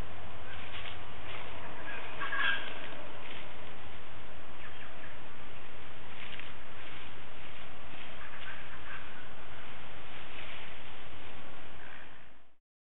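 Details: A male koala, a local seeking his favourite gum tree, bellows in deep, rasping, snore-like pulses that rise and fall in a steady rhythm.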